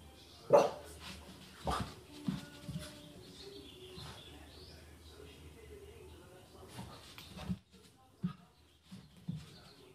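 A French Bulldog gives short, gruff barks and whiny grunts in scattered bursts, inviting play.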